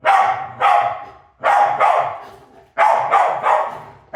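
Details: Dog named Maisy barking as she chases, three quick double barks spaced about a second and a half apart, each harsh and full-toned, the second of each pair slightly softer, with a fading echo between.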